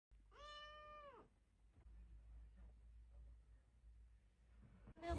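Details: Cute cat giving a single long meow, steady in pitch then dropping away at the end, followed by quiet room hum and a soft rustle.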